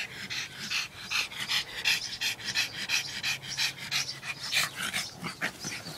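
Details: Pugs at play panting and snorting in a fast, fairly steady rhythm, about three raspy breaths a second.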